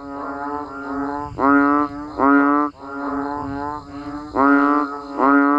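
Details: Frogs and banded bullfrogs in natural surroundings calling as rain falls, giving dense, moaning, buzzy notes about half a second long, several voices overlapping, with the louder calls coming in quick succession.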